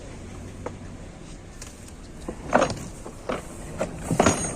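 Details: Metallic clanks and thumps from a truck, with scattered bangs over a low rumble, and no animal voice heard.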